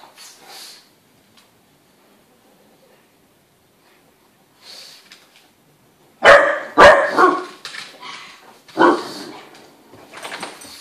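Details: Indoor play among an Irish wolfhound in heat, a pug and a Landseer pup: near silence with faint scuffles, then from about six seconds a burst of loud, harsh barks in quick succession, a pause, and more barking near the end.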